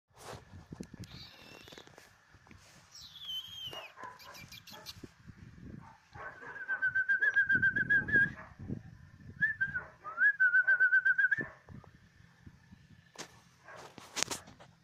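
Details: A male Cocker Spaniel puppy whines in high, wavering bursts over a steady background hum.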